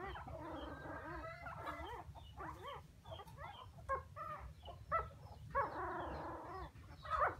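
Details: Puppies whimpering for their absent mother, a chorus of wavering, bending cries in short uneven bursts with brief pauses between, against steady low background noise.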